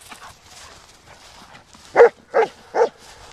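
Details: Black German Shepherd dog. Three short, loud barks follow each other about half a second apart after a quiet stretch of faint background rustle.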